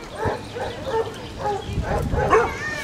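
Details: Basset Hounds on a four-mile group walk of fifteen dogs to the sea near the River Otter at Otterton, South Devon; a run of about five short, mid-pitched barks spaced roughly half a second apart, outdoors with soft rain.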